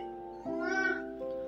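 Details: Muffin, a pet Persian cat, meows on cue when asked to say it again, a sound presented as her calling 'mama'; a single drawn-out, arching meow rises and then falls over about a second, with steady background music throughout.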